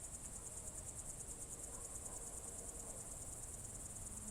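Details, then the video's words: Crickets chirping on a summer evening in June 2023 at Novye Buregi, Novgorod Oblast: an unbroken shrill trill beating in quick pulses, with a faint low tone near the end. "Звуки природы , сверчки"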